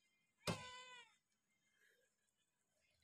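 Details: Hungry pet cat at feeding time, cared for by a family: one short, loud meow opening with a thump, followed by quiet room sounds and faint rustling.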